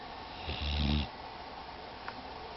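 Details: Female pit bull named Shadow asleep and snoring, giving a short, rough rumbling snore of about half a second, low-pitched and buzzy, followed by quiet breathing and a faint click.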